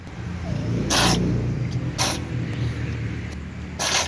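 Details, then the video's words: Black cat sneezing before eating alongside other cats: three sharp, explosive bursts about a second apart, the last near the end, over a steady low rumbling hum like an idling engine. "black cat sneezes before eating with other cats"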